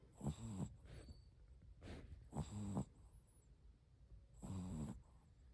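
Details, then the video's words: Shih Tzu puppy asleep and snoring; three rough, rattling low snorts spaced a couple of seconds apart, with quiet breathing in the gaps. "Snoring 😴 time"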